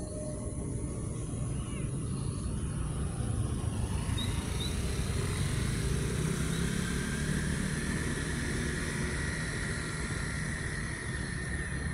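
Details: Steady low rumble of passing vehicles and motorbikes outdoors with faint distant voices, and no animal call.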